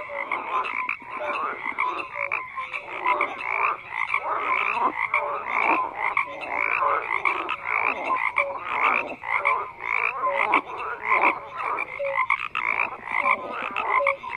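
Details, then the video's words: Steady wall of frog croaking: harsh, pulsing rasps from many callers run together, punctuated by quick tonal chirps repeated every second or two. "FROGS CROAKING"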